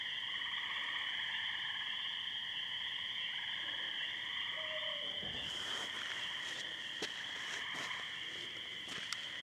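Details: A dense spring peeper and tree frog chorus, high piping notes merging into a steady, shimmering ring, with an owl in the background, at night in a wet pasture after heavy thunderstorms in Muskoka, May 22, 2013.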